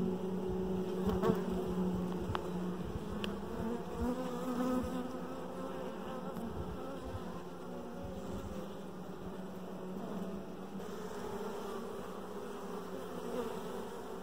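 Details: Honey bees inside a hive around a dark queen: a soft, steady, low droning hum with a constant pitch that continues throughout, with occasional faint clicks.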